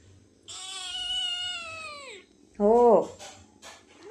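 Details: Hungry house cat indoors giving one long, steady, then falling meow lasting almost two seconds, followed by a short, loud, bending call and brief human speech.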